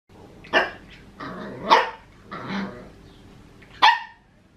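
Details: Papillon puppy, male, 14.5 weeks old, barking at a Maine Coon cat he wants to play with; four short sharp yapping barks spaced about a second apart, with a low growl between them, indoors.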